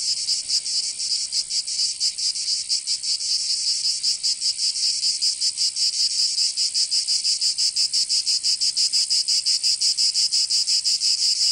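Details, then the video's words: Summer cicada chorus from Provence in the south of France, a steady shrill rasping drone throbbing in fast pulses, several insects overlapping, nothing else audible. "Canto Cigarra 🦗 [ Escuchar les cigarras en verano 10 H]"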